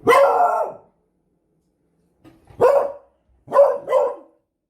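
A beagle gives loud, slightly drawn-out barks with a baying edge, spaced a couple of seconds apart.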